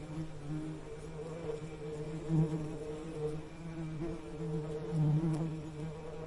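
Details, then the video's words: Continuous low bee drone, humming evenly with brief louder surges around the middle and near the end, as if the insect passes closer; no other animals or voices present. "Soothing Bee Buzzing Sound"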